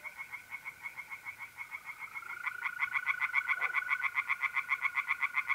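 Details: Singing tree frogs by a pond in North-East Italy on an April night. Quick raspy pulses repeat steadily, and a second louder frog joins midway, set against the unbroken whistle-like trill of mole crickets.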